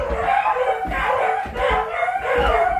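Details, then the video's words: Several pet beagles at home loudly barking and howling together as a household alarm. Overlapping, harmonic, bawling voices rise and fall continuously in bursts roughly every half second to second, with no pauses. "Well at least my home alarm System seems to work or is that bark"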